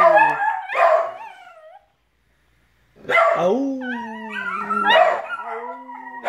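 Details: Over uneaten food, a puggle, rat terrier and dachshund-pug cross howl with their owner; a burst of yelping howls, a two-second silence, then long rising and falling howls layered with a low sustained voice.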